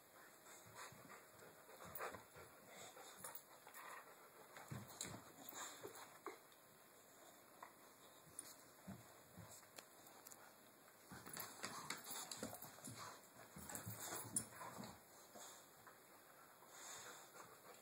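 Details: Two dogs, Chewy and Tucker, indoors playing tug with their rope: rapid breathy panting and low rough huffs in uneven bursts, loudest near the end, with scuffling and thumps of the struggle between them.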